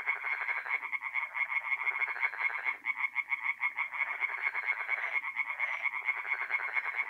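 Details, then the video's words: Singing tree frogs by night at a forest pond in north-east Italy during mid-April, many voices overlapping in a loud, continuous chorus of rapid, nasal, pulsed croaks with short pauses. "relaxing forest pond by night with singing tree frogs"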